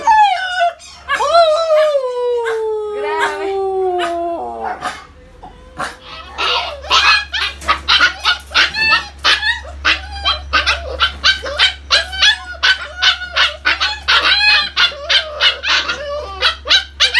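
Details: A Siberian Husky gives a long, smooth howl that slides steadily downward, then breaks into choppy yips, "singing" in a howling session.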